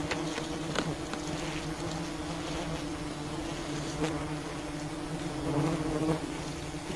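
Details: Wild bees humming around their colony while honey is gathered, a quieter even drone under a hissy background with a few scattered clicks.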